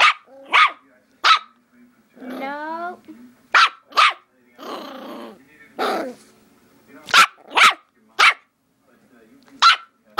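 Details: A nine-week-old Rat Terrier puppy barks in short, shrill yaps, spaced irregularly and sometimes paired, with one drawn-out whining whimper, while a person briefly tells it to stop.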